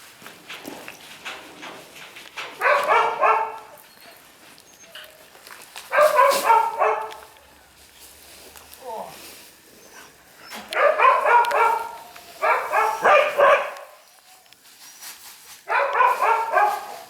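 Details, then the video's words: Shiba Inu puppy, a male born on 15 August, giving repeated harmonic yapping barks in bursts of about a second, roughly every three to four seconds, with quiet gaps and faint background noise between bursts. "柴犬男子 8/15生まれ"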